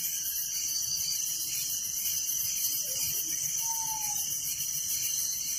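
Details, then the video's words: Village crickets at night produce a loud, steady, high-pitched chorus of rapid pulses, with a faint lower pulsed band and a single short, soft whistled note partway through. "Relaxing Night Crickets Sound in Village"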